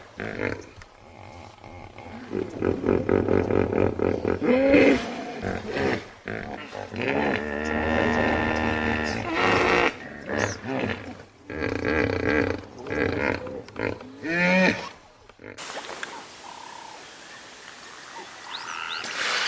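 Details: Hippo bellowing in long, deep, rich-toned blasts with wavering pitch, rising and falling in loudness, ending in a quieter, hissy stretch with a thin whistling sound.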